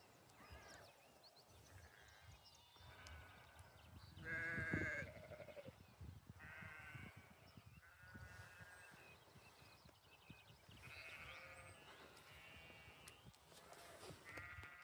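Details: Lambs on a farm in springtime, bleating repeatedly: a string of short, quavering bleats from several animals, one louder and nearer around the middle, over a low rumbling background of wind or handling noise.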